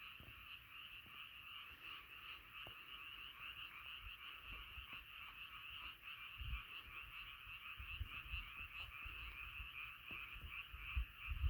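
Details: Many frogs calling together in a continuous chorus, a thick trilling wall of sound, with scattered low thumps and knocks underneath.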